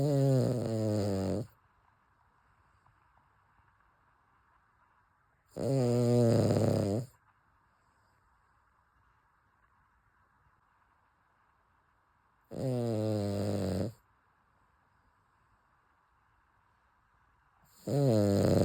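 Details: Chappy, a sleeping Cavalier King Charles Spaniel, snores in a steady rhythm. Four loud, buzzy snores of roughly one and a half seconds each come about every six seconds in a quiet room.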